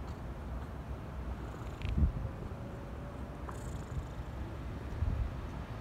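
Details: Tabby stray kitten purring while being stroked on a leaf bed in a park, sleepy, on Cat Day, 22 February. A soft, steady low rumble runs throughout, with a few faint rustles and knocks.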